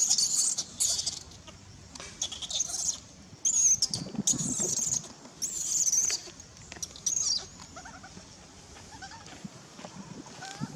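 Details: Hungry, angry baby monkey named Nelson crying for its mother's milk: shrill, very high squealing screams in repeated bursts of about half a second, loudest in the first seven seconds, then fainter scattered squeaks.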